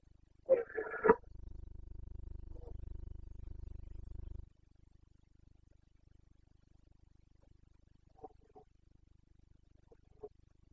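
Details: Carpathian stag roaring in the rut in Bucovina, Romania, 29 September 2022: one loud, coarse bellow of under a second, then a steady low hum, and later faint short grunts.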